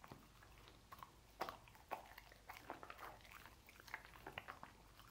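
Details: Pet dog Lucy munching sausages inside, uneven sequence of smacking chews and a few louder crunchy bites, low steady hum in the background.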